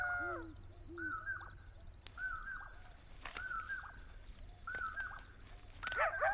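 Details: At night in the Sonoran Desert's Saguaro Wilderness, crickets keep up a continuous high, shrill chirping with pulsed trills, while coyotes howl and owls hoot with repeated short, falling calls about once a second.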